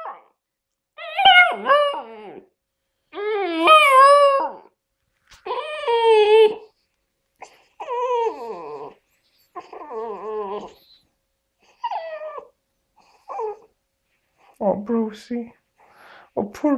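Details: Tricolour Basset Hound puppy, four months old, practising its howl: a string of short quavering howls and yelping whimpers, each bending up and down in pitch and breaking off, repeated roughly every second or two.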